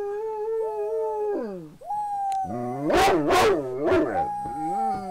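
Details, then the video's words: Pet dog Gracie gives a drawn-out howl that wavers and dips in pitch, breaks off, then resumes higher. Several loud, harsh bursts interrupt the middle before the steady howling returns. "My Dog Gracie Howling"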